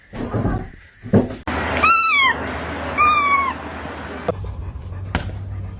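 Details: Domestic cat giving two drawn-out meows about a second apart, each rising slightly then sliding down in pitch, over low background hum with a few clicks and thumps.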